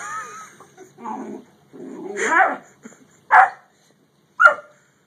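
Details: A Great Dane and a Yellow Lab together; low grumbling, whiny vocal sounds lead into a rising yowl, then two short, sharp barks about a second apart.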